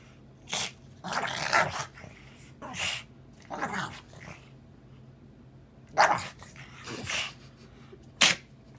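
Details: Pug producing a string of harsh, noisy snorts and sneezy puffs, each short burst separated by a second or more of quiet, the last one sharp and loud.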